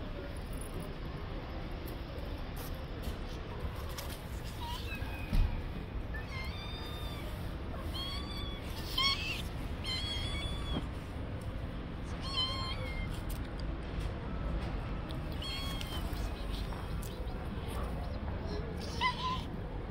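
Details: Friendly stray cats living on the street give a run of short, arched, harmonic meows, clustered mid-clip with a few more later, some rising then falling, over a constant broadband rush of outdoor background noise.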